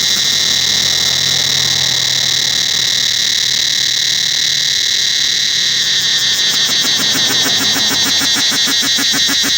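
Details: In the forest around Angkor Wat temple, cicadas fill the air with a loud, steady, high-pitched buzzing drone that turns into rapid pulsing.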